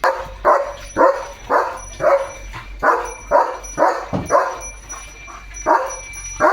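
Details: Leo, a German Shepherd, barks on an evening walk through green countryside in a light breeze. Gruff, hoarse barks come in quick bursts, about a dozen in under seven seconds, over faint steady high tones in the background.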